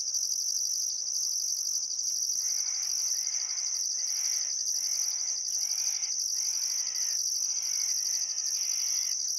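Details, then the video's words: Crickets by the Barcoo River, Welford National Park, Outback Queensland, on a summer afternoon at sunset: constant shrill trilling and rhythmic high pulses, joined from the middle onward by repeated harsh, scratchy bird calls in short bursts. "Australian Sunset Chirping Crickets"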